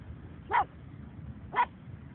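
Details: Pug barking on a beach: two short, sharp barks about one second apart, each a brief burst over a steady low rumble of background noise.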